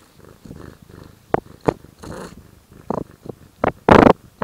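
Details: Indoor tortoiseshell cat known to growl and purr simultaneously: soft rhythmic purring pulses broken by short sharp noisy bursts and a louder rasping growl near the end.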